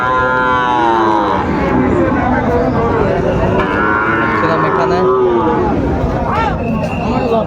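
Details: Young Sahiwal bulls traded at a Bagerhat market in Bangladesh, November 2024: a long wavering bellow opens, then a second lowing call follows midway, half-buried under constant human talk and market bustle.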